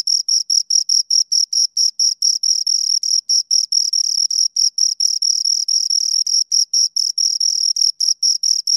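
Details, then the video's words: Two crickets chirp steadily in short, high, shrill pulses, about four or five each second, sometimes running together into longer trills, against a clean, silent background with no other sounds. "Two Crickets Chirp Sounds"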